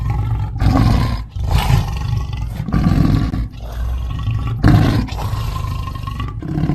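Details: A lion roars in a run of deep, rumbling bursts, each about a second long.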